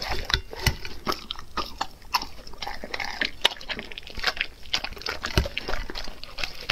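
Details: Dog eating raw food up close: irregular wet clicks and crunchy bites, moist smacking between them, in a quiet indoor space.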